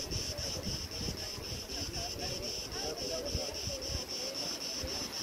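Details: Crickets in summer trees at Preveli Beach, Crete, August 2020: an unbroken high-pitched pulsing trill. Gusty wind shakes the branches and adds low, irregular rumbling.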